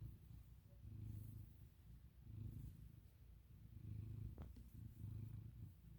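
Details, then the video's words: Low, rhythmic snoring purr from Milo, an American Ringtail cat, with soft rumbling bursts repeating roughly every one to two seconds and a brief click partway through. "Snoring To Purring To Meowing! Oh Milo!!"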